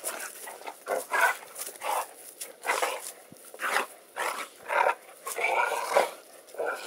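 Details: Jake and Lacy, two dogs of very different size, wrestle in play in a yard, the heavier male the louder. Gruff growling and yappy snarls arrive in short bursts about every half second to second, with brief gaps between.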